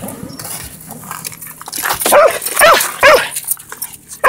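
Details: Pet dog giving excited backtalk before going for a run: a few short rising-falling whining yelps in the second half over wide noisy background, with a person talking to the dog beforehand.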